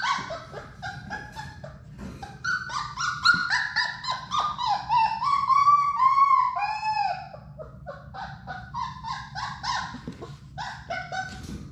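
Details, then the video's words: Playing Labrador Retriever puppies, Sadie's litter of six, indoors in their play room: loud, continuous high whining and squealing, some cries long and arching, others quick yelps, with a brief lull before chatter resumes. "Labrador puppies at play!"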